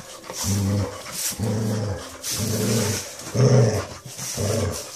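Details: Low, rumbling growls from a Basset Hound, five short throaty bursts at roughly one per second, each buzzing and even in pitch, the fourth louder and rougher.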